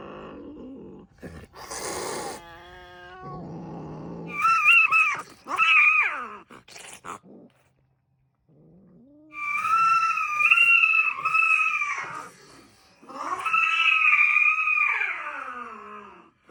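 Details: Domestic cats at the Sunset Cats House on Ogijima island, Japan: several loud, wavering, drawn-out meows that rise and fall, each lasting one to two seconds, separated by short pauses and softer rustling sounds.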